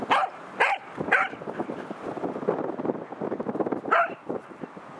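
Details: Roku, a Pembroke Welsh Corgi, barks at an Anpanman remote-control car fitted with cameras. Three quick barks come in the first second, then motor whir, then one more bark near the end.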